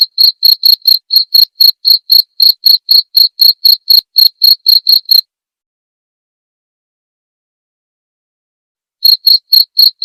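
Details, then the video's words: Cricket chirp masteran for training white-rumped shamas at night: crisp high pulses ticking about four per second for five seconds, a long silent pause, then the chirping starts again. "masteran suara jangkrik jernih!"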